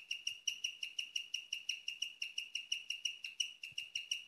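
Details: Female guinea pig kept as a pet, chirping at night, a rarely heard sound: a fast, even series of high bird-like chirps, roughly three a second, with a few soft low knocks late on.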